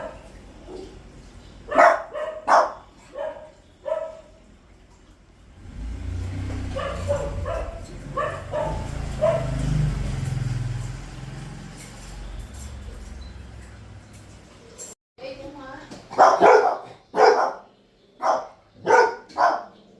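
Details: Two puppies tagged as Pomeranians bark. Barks come in a quick cluster at the start, then give way to a long rumbling, engine-like noise, before a final run of six sharp barks.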